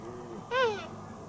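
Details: Red deer calf calling to its playmate: a single short, clear tonal bleat lasting about a third of a second, rising slightly and then falling, with bright harmonics, over quiet background hiss.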